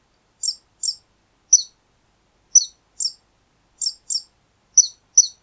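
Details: Mouse squeaking: brief, high, downward-sliding squeaks, sometimes single and sometimes in quick pairs, nine in about five seconds with short silences between, and no other sounds.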